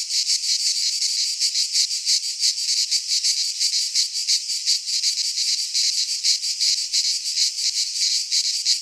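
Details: Cicadas of Greek fauna singing in a midsummer pine forest: crisp, shrill buzzing delivered in regular throbbing pulses around three per second, a constant loud insect chorus alone.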